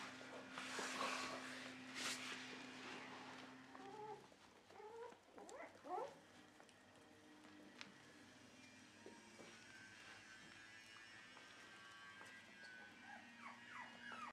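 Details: Dog in a Netherlands home of a Shiba Inu and Samoyed breeder, 4 November 2018, by a newly cleaned bed: scattered short arching whines and whimpers between four and seven seconds, over a low household hum and light rustling.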